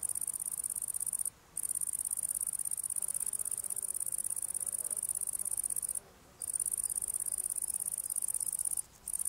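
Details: Italian tree cricket up close during its evening meal, giving a steady high continuous trill interrupted by three short pauses, little else audible.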